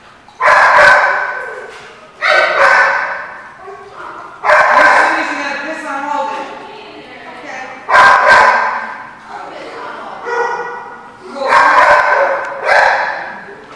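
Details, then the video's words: At The Barking Lot on 13 February 2015, a dog gives a run of about seven loud, rough barks spaced one to two seconds apart, some in quick pairs, with a faint murmur between bursts. "The Barking Lot"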